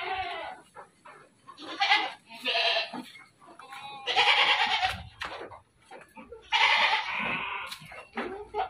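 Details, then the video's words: Repeated loud, wavering bleats from a group of dairy goats on a Bogor farm, roughly every few seconds and often overlapping, with pen clatter and soft knocks underneath. "KAMBING PERAH"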